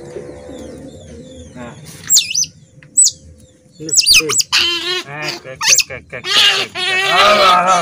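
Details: Hand-raised baby otter, kept since small and never released to catch its own fish, standing and screaming as it is about to be fed fish: shrill, looping squeals and chirps in bursts, with a man speaking soothingly throughout.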